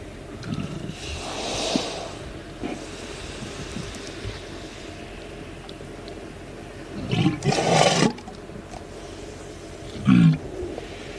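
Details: A walrus taking a mud bath lets out deep, guttural burps amid wet sloshing and squelching sounds.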